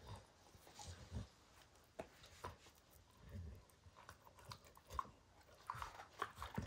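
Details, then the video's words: A dog chewing apart a baseball hide indoors, giving irregular crunching and gnawing bursts, sharp clicks and soft thuds at uneven intervals with quiet pauses between, no talking. "Max Destroys A Baseball Hide | NOT ASMR | DOG CHEWING"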